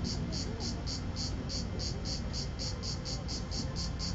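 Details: Cicada at Vello, province of Brescia, Italy, the last one heard on 4 September 2010, afternoon, mobile phone recording: rhythmic high pulsed buzzing, about three bursts a second, above steady low rumble.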